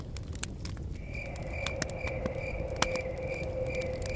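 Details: Chirping crickets by a cabin in the forest start a second in, a continuous string of quick high pulses, layered with fire crackles and snaps, a steady humming tone and blowing wind.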